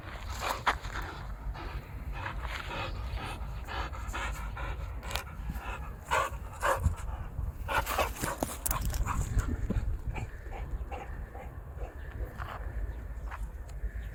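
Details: Boxer dog playing with a ball, panting in quick rhythmic bursts with breathy pulses, a few short whimpers and sharp clicks or knocks throughout.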